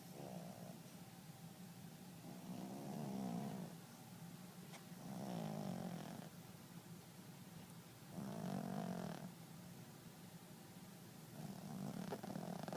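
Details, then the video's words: Loud snores from a sleeping dog: slow, rough, wavering breaths rising and falling roughly every three seconds, with a faint hum underneath and a few soft clicks. "Spooky snores so loud"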